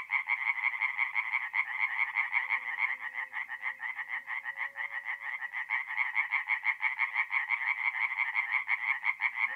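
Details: Tree frogs calling after dark at a north-east Italian forest pond in mid April, a rhythmic, rapid pulsing croak chorus holding steady the whole time, with faint low droning sounds underneath.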